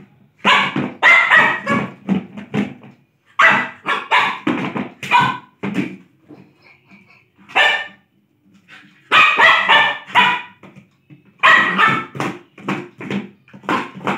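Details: Lhasa Apso barking while playing, sharp high barks fired in quick clusters of four to six, separated by brief silent pauses, loud and close throughout.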